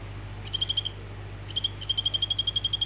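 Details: Orange morph of the Golfodulcean poison frog, Phyllobates vittatus, a male calling to a female in a vivarium: two bursts of rapid, high, even pulses at a steady pitch, a short trill and then a longer one, over a low constant hum.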